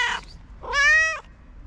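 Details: A hungry feral street cat waiting to be fed gives one long, steady meow with a rich stack of harmonics, preceded by the tail of a brief cry, against faint outdoor rumble.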